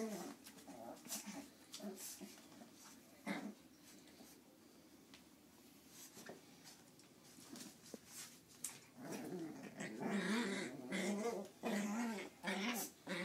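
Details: Nine-week-old Lhasa Apso puppies playing together yip and whimper in short, high bursts, with a louder flurry near the end.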